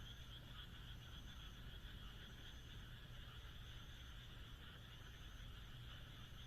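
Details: Frog chorus from the Japanese countryside on a moonlit night: layered, rapidly pulsing croaks running without pause, set over a low steady rumble, with a faint high-pitched note returning every second or so.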